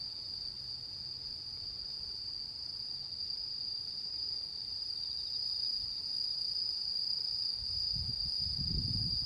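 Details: On the harvest-moon night of 10 September 2022, autumn insects keep up a continuous shrill ringing tone. Low-pitched thumps rise near the end, likely wind or handling.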